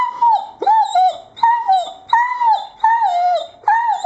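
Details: Irish Setter dog giving a steady run of loud, tonal whining howls, each slightly falling at the end, about six in four seconds with brief gaps between.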